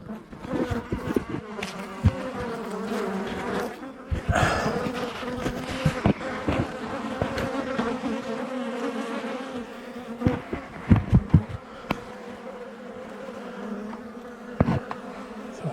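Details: Honey bees from a well-established colony, active for two years, being cut out of a house wall by a beekeeper; steady droning buzz with a low hum and layered overtones, interrupted by knocks, scraping and clattering of the work.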